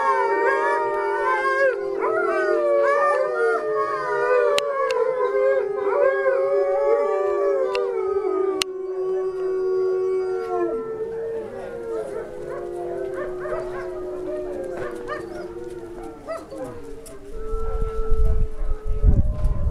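Several wolves howl together in long, overlapping, wavering tones that slide up and down.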